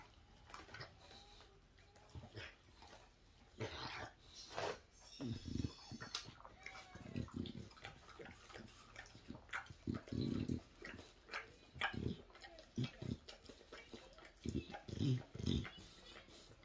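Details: English Bulldog working on a bone indoors: repeated crackling bites and clicks, interspersed with deep snorting grunts that come in short clusters every second or two.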